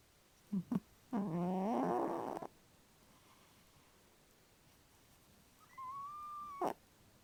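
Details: Domestic cat asleep and dreaming, described as a vivid dreamer and loud snorer: two quick squeaky chirps, then a buzzy, throaty groan lasting over a second, and later a thin drawn-out whistled tone, all in a quiet room.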